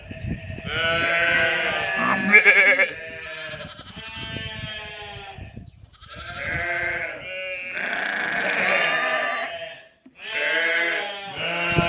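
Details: Sheep and lambs bleating on a farm: several long, wavering, harmonic bleats overlapping, some higher and thinner like young lambs, with brief pauses between bursts and faint background rustle.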